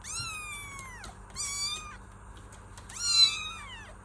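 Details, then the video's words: Kitten giving three drawn-out meows, each starting high and sliding downward, the first long and falling, spaced about a second and a half apart over a low steady hum. "Kittens Meow || Kucing Mengeong"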